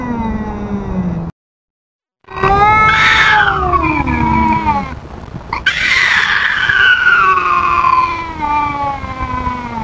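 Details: Tubs, a feral cat, yowls at an intruding cat; after a short silence come loud rising wails, a harsh screeching burst midway, and long wavering cries fading lower.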